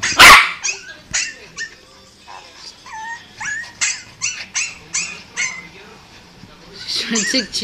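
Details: Pet dog crying in response to another dog crying: a series of short, high, rising whines repeated roughly every half second, each with a clear bent pitch line, opening with a loud knock and ending in muffled voices.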